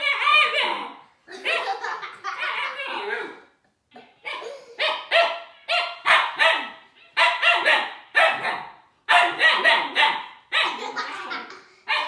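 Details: Puppy Siberian Husky Juno facing the toy robot Dash, barking almost continuously in loud, harsh, yelping bursts of about one per second, with only a brief pause near the middle.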